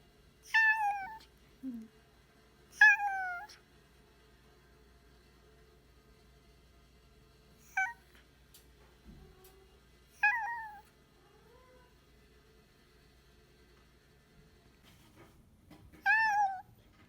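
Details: Rescued former stray cat, Mitaro, taken in by a shelter: five clear meows over about seventeen seconds, each starting high and sliding down in pitch, separated by quiet gaps of a few seconds.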